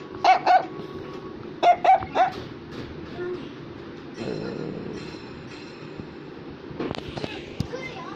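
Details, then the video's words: Affenpinscher toy dog giving quick yappy barks, two then three in rapid succession, early on; the rest is quieter indoor room noise with a few faint clicks and thumps. "Affenpinscher is Barking"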